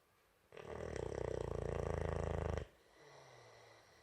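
A Boxer puppy snores loudly, one long rattling, fluttering breath through the nose and throat.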